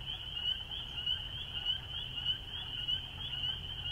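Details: Many spring peepers singing together, their piercing high peeps blending into a continuous shrill ringing, backed by a faint low hum.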